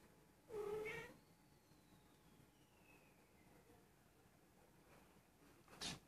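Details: Persian cat, a female almost one year old, possibly in heat, mewing indoors while rolling over; one loud drawn-out meow near the start, then a faint falling tone and a brief sharp sound at the end.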